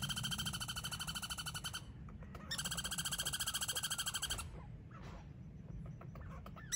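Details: Squirrels battling over peanuts, too few to share. Two bursts of rapid, buzzing, pulsed chatter, each lasting about two seconds, are separated by a short pause. Quieter rustles and a faint sharp note follow.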